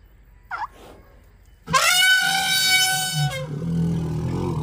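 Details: Elephant. A short faint sound comes first, then an elephant trumpets: a sudden, blaring, horn-like blast that rises and holds steady for about a second and a half. A low rumbling murmur follows as it fades.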